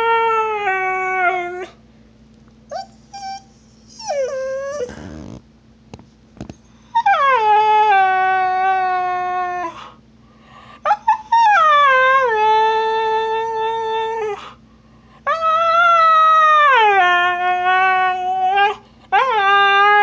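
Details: Snow, a female husky, howls in complaint after another dog, an Australian Cattle Dog named Trixie, stole her bone; long wavering tonal howls with falling ends, repeated in bursts separated by short pauses.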